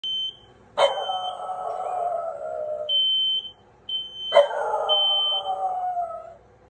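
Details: French bulldog singing along to an alarm: two drawn-out howls, each starting with a sharp yelp then sliding slowly downward for about two seconds, while a high electronic alarm beeps steadily between and under them.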